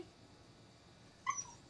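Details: Siberian husky indoors that dislikes going out and prefers the air conditioning, being called to come: after a quiet stretch, one short, high, thin whimper rises and fades near the end.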